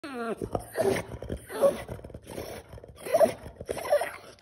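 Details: French bulldog throwing a tantrum: a short falling whine opens, then moaning, grumbling vocal bursts come roughly every second, rough and mid-pitched with uneven rhythm.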